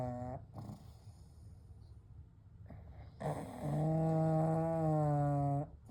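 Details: Three pet pugs named Kou, Gen and Shun sleeping together, one giving a long droning snore with a steady low buzzing tone held for about two seconds, preceded by shorter snorting breaths and quiet breathing between.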